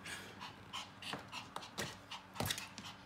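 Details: Panting Yorkie in heat: short, soft, breathy huffs in an uneven run, with one sharper puff near the end, in a quiet room.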